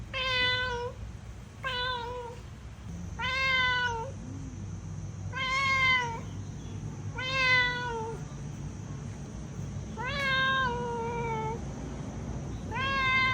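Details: Cat giving a series of loud, harmonic meows, roughly eight calls with brief gaps, each starting with a slight rise and gliding down; steady low hum underneath.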